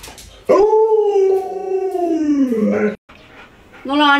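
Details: Pet Alaskan Malamute named Luoluo, indoors while playing hide and seek with its owner: one long, drawn-out howling tone that holds steady, then sags lower over about two and a half seconds, followed by the start of another at the end, with faint voices.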